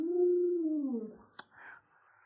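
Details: Luoluo, a household Alaskan Malamute, sings a brief smooth howling tone that holds steady for about a second and then slides downward, followed by a sharp click and faint murmuring indoors.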